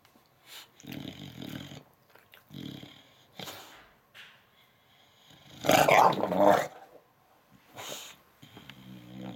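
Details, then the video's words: English Bulldog named Dixon throwing a tantrum, upset about something, indoors: bursts of low growling and grumbling whines separated by short pauses, with one louder harsh outburst in the middle. "English Bulldog Throwing a Tantrum"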